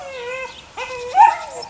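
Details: One of the six eight-week-old puppies of the neighbour's dog Sunny lets out two drawn-out, tonal whines, the first steady and sinking, the second swelling upward before trailing off.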